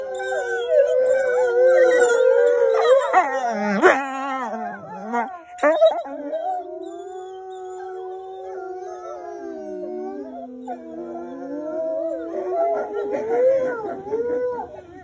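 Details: Group howl of wolves: many tangled voices with wavering, yipping pitches, a few abrupt breaks, then long sustained howls gliding slowly downward and rising again as others join near the end.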